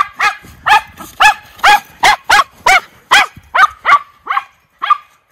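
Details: Miniature Schnauzer brothers frolicking outdoors in winter snow in Aroostook County, Maine, January 6, 2023: a run of about eleven sharp, loud barks roughly every half second, the last few softer and more spaced.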